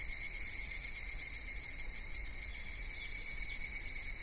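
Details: Cicadas singing through a hot Japanese summer at Kitakami's Michinoku Folk Village and Tenshochi, from minmin-zemi to higurashi at dusk; a dense, high, steady hiss-like chorus without breaks.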